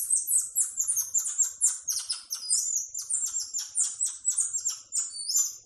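Tamarins give a rapid stream of thin, very high chirps and sliding whistles, overlapping as several call together.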